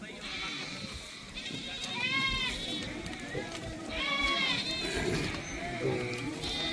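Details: Three short arched bleats spaced about two seconds apart from a Beetal goat at Rakhala goat market, held every Wednesday in Punjab, over a steady hubbub of people talking.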